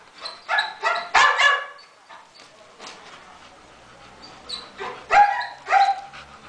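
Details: Masseter Alanis, a female Bull Terrier, gives short harmonic barks and yelps in two bursts, one around the first second and another after five seconds, with quieter faint sounds in the gap between.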